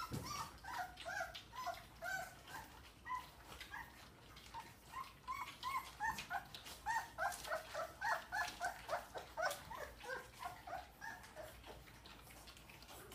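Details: Dogue de Bordeaux puppies at their first weaning meal, producing a busy stream of short, high whining squeaks and yelps, several overlapping at around three per second, with soft feeding and shuffling noises beneath.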